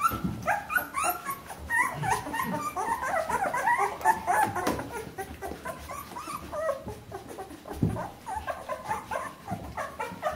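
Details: A litter of Bernese Mountain Dog pups at 14 days old keeps up a busy chorus of thin, wavering whines and squeaks, several overlapping at once, with light bumps and rustles beneath.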